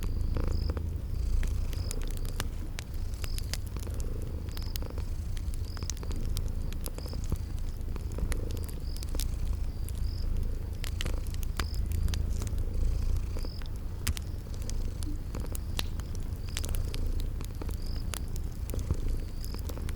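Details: Continuous deep purring from sleeping kitties, with no break in its low rumbling drone, while a fire crackles in sharp clicks and regular high insect-like chirps repeat across a spring garden backdrop.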